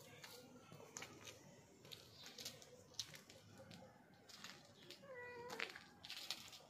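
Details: A black pet cat gives one short, clear, rising-then-falling meow near the end, set against a busy background of human voices and household clatter.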